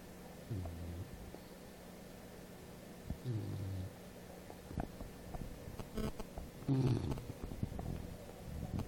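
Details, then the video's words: Apolo, a sleeping English Bulldog, snores in low, rasping rumbles. Three short snores come a few seconds apart, with a steady hum and faint clicks between them. "Bulldog inglés, Apolo roncando."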